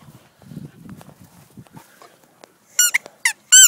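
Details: Chant, a four-month-old female Deerhound puppy and daughter of Lohengrin, gives high, squeaky whines in three short bursts near the end, each thin and strongly harmonic, after soft low rustling and shuffling sounds.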